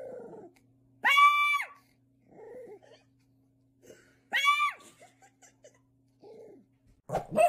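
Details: Rescued special needs dog whose condition makes its bark sound like yelling: two loud, strained, scream-like barks about three seconds apart, each a harsh rising-then-falling cry, with softer grunting sounds between and a sharp noise at the end.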